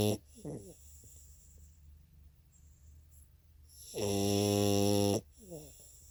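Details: Sleeping French Bulldog giving one long, loud, rattling snore lasting about a second, with softer snuffling breaths before and after it in a quiet room.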